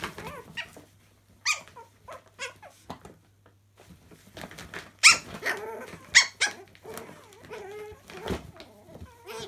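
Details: Playing Chihuahua puppies in a laundry give scattered high yips and whines, then a denser busy stretch of growly squeals and sharp little barks in the second half, with quiet gaps between bursts.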